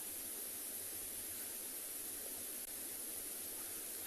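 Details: Steady broadband hiss like rushing water or wind, with no animal calls.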